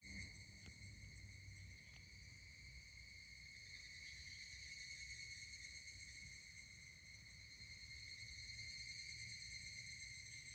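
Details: Higurashi cicadas singing at Kashima Jingu shrine by the Kanameishi stone, Kashima, Ibaraki, Japan, on 12 August 2024: a steady, shimmering, pulsed high-pitched chorus held through the whole stretch, with soft low rumble beneath.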